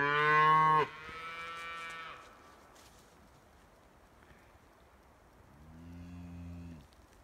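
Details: Scottish Highland cattle on a farm in Finland, kept outdoors year-round in forest and meadow: a loud, deep, drawn-out moo with a rich harmonic tone lasts about two seconds, then a quieter, lower moo follows near the end.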